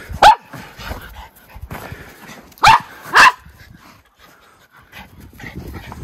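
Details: Two white Miniature Schnauzer brothers romp in deep late-winter snow in their yard, Aroostook County, Maine, 11 February 2023; one gives sharp, high barks, one single then a quick pair, with rustling snow between.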